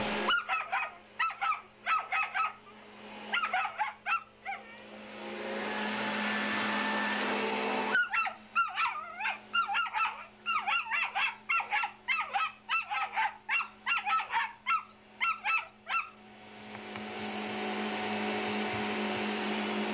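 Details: Pet female dog angry at a vacuum cleaner barks in quick bursts of sharp, high, falling yaps. The vacuum's roar swells in between and at the end, over a steady electrical hum.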